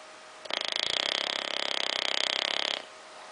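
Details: Ozzy the bulldog asleep on a little sofa, giving one long rattling snore of over two seconds, a rapid fluttering buzz of rough breath that starts and stops abruptly, over a quiet steady hum.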